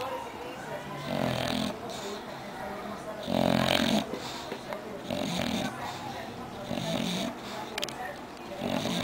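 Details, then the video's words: Sleeping English bulldog snoring, with rough, snorting inhalations about every two seconds, some louder than others, while people talk nearby. "Bulldog ingles Roncandooo"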